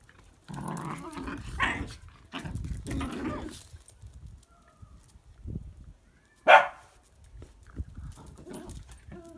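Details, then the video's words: Whippets at play in their favourite game of bitey face: bursts of low, rough grumbling growls in three runs over the first three and a half seconds, a single sharp louder yelp-like burst near six and a half seconds, then softer grumbles. "Whippet Life - Bitey Face"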